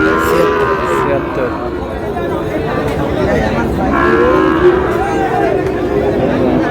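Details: Sahiwal bull calves at a livestock market, a Dhaka farmer buying, 16 July: low moaning moos partly buried under loud crowd chatter and shouted bargaining, clearest around four to five seconds.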